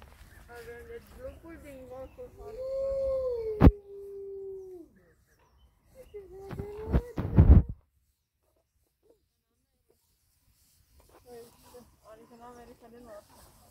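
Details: Captive Hudson Bay wolf, a gray wolf subspecies, at a zoo in Targu Mures gives a long mid-pitched howl that holds steady then slides down, followed by loud knocks and later brief murmuring voices.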